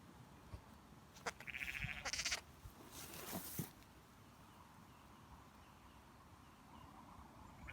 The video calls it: Cute baby lamb bleating - Baby lamb makes baaing sounds